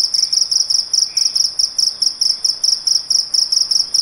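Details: Small insect making a very loud night call: shrill, very high pulsed trill in quick bursts, a little over two bursts each second, steady throughout, with faint low background noise.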